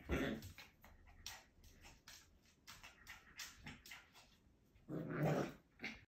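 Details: A male Schipperke puppy gives short growling yaps and whimpers in a small room.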